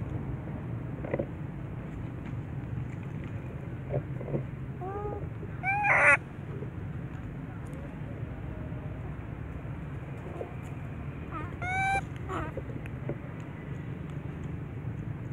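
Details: A little baby monkey whose mental defect is reportedly getting better cries out in short bursts of rising and falling wails, first a few quiet ones, then a loud cluster midway and another about six seconds later, with low rumbling noise throughout.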